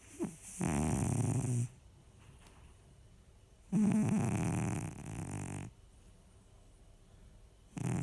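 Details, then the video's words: Sleeping house cat Baksik snores steadily: a rough, low, droning breath around one second, then a longer two-second snore after a silent gap, and the start of another at the close. The room is otherwise quiet. "Баксик это кот который храпит"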